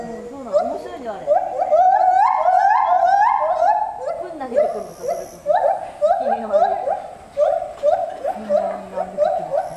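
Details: Gibbons giving their so-called opera concert high in a 14 m structure at Asahiyama Zoo on 24 July 2014, filmed with a FINEPIX REAL 3D W3S camera: loud, rapid series of rising whooping notes with overlapping callers, bursts repeating quickly and irregularly.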